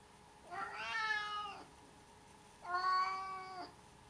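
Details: Cat meowing indoors, two drawn-out harmonic meows each about a second long, the second rising then falling slightly, separated by a quiet gap with faint steady background hum.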